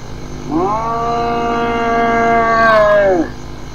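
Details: Hyena vocalization in a collection: a drawn-out harmonic call that sweeps up, holds a steady tone for about two seconds, then drops away at the end.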